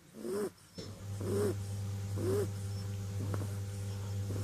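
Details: Kitten named Clint snoring in its sleep, three rounded, gently wheezing breaths about a second apart, then quieter breathing against a constant low mains-like hum.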